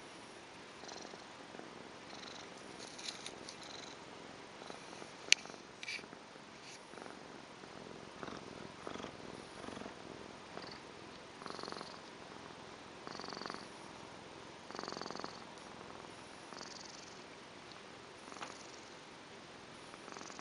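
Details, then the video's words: Tonkinese cat Tamsin purring away at length indoors, recorded with a Panasonic Lumix DMC-FT1; a soft, steady rasping purr with breathy swells every second or two over a faint background hiss. "Purring Cat"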